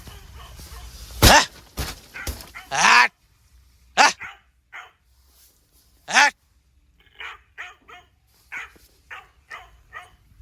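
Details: Dog barking fiercely at night at a forest campsite in India, reacting to a nearby leopard; loud harsh barks at first, then a run of shorter, softer barks about every half second, amid a quiet night background.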